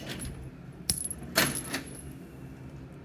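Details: Two quick metallic clinks, like a coin or keys dropping, over a quiet indoor background.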